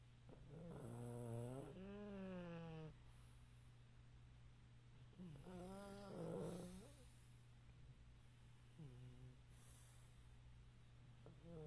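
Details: Chubby pug sleeping upright on a couch indoors snores three times, each a wheezy, harmonic-rich rattling breath, the first two long and the last short, separated by quiet pauses and a low background hum.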